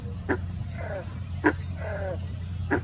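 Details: Green frog, a true frog abundant where there is standing water in the Eno River watershed, a prolonged summer breeder, giving short explosive gulps like a plucked loose banjo string, spaced over a second apart.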